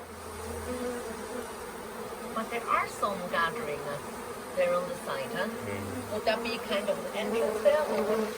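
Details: Swarming honey bees being collected into a nuc box at the Tamarind Tree Hotel, a swarm present for a few days late in the season; steady insect drone beneath several short bursts of speech.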